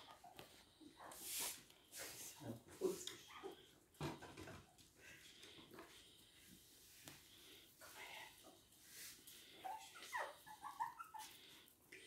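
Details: Toy and miniature poodles in Hahnstätten on 19 February 2022, indoors; short high thin whimpers rise and fall now and then, clustered near the end, among sniffing, rustling and a person's voice.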